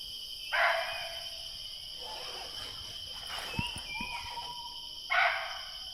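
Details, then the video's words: In dense forest in Kanha, India, a barking deer gives sharp, loud single alarm barks several seconds apart, possibly signalling a tiger nearby, though such alarms are not fully reliable. "यहां अभी बार्किंग डियर की अलार्म कॉल हो रही है। जिसका अर्थ है हो सके यहां आसपास कोई टाइगर हो।"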